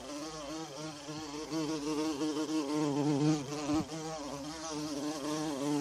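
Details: Bumblebee buzzing in a forest among wild violas: a steady low droning hum with wavering pitch, rising and falling in loudness as it moves, with a brief dip near the fourth second.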